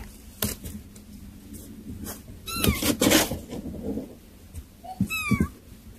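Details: Kittens eating weaning food indoors give two short, high mews that bend upward and then fall, around the middle and near the end, over soft clicking and shuffling feeding noises.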